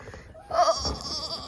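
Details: Twenty-eight-day-old German Shepherd puppies, handled indoors; one gives a short, loud, tonal whine lasting about a third of a second with a bent, wavering pitch, followed by quieter shuffling and handling noise.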